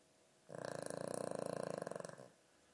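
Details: Snoring of a sleeping dog. A rattling snore of rapid, even pulses runs about 1.7 seconds, steady in loudness, then drops back to near silence.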